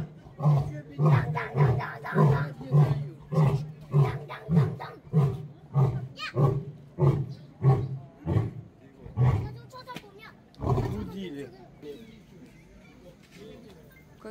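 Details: Korean (Amur) tiger in a cramped enclosure at Pyongyang Zoo, North Korea, growling loudly: deep pulsed growls repeated about every half second for ten seconds, then fading, with a woman speaking French over the sound.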